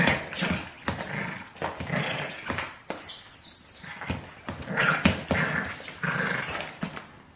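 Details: Seven-week-old Border Terrier puppy Baxter, born 12/06/12, playfully chewing on shoelaces indoors; short rough growly bursts come in quick, uneven succession, with scuffling noises between them and a brief high rustle midway.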